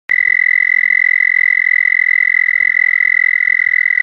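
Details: An American toad calls for a mate in a muddy pond at Ojibway Prairie in spring, giving a long, steady, high musical trill.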